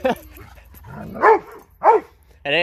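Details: A dog, one of a Dobermann and a Boxer, wanting to play with a ball: two loud, arching barks about half a second apart, with a man speaking German between them.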